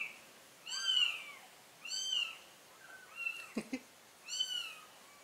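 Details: Cat, a mother carrying her kittens to a new place; four meows in a few seconds, each a short arched cry, the first two clear and the later ones softer, with a few faint clicks and knocks between them.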